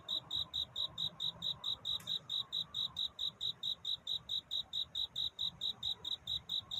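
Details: At night, a cricket sings its courtship song: around twenty-five crisp, ringing high chirps in under seven seconds, very regular, against a faint low hum.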